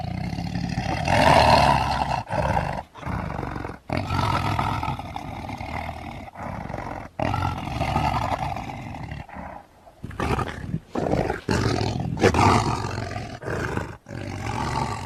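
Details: Lion roaring in deep, rough, drawn-out bursts broken by abrupt cuts and short silences, with grinding low rumble and harsher upper tones throughout.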